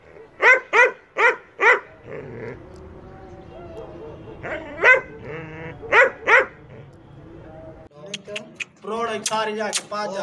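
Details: German Shepherd at a sale in Peshawar, Pakistan, barking in short bursts: four quick barks, a lull filled with murmured voices, then two more barks, before people talk loudly at the end.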